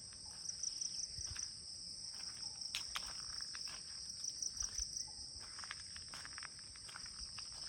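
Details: Morning cricket chorus at ten o'clock near a guest house in Kulaura, Moulvibazar, Bangladesh: continuous shrill ringing trill, with pulsed upper notes and scattered clicks and knocks in the foreground.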